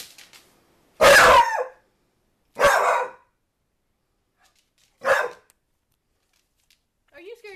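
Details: NuNu, a pet dog chasing a soccer ball indoors, barks at it: three sharp, loud barks spaced about one and a half to two and a half seconds apart, with a brief human voice at the end.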